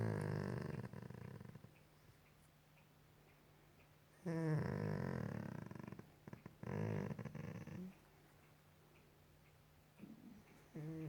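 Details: Golden Retriever lying on a couch indoors at night, making noises while cuddled and scratched behind the ear; two long, low, throaty groans in the middle, then a short grunt at the end, over a steady low room hum.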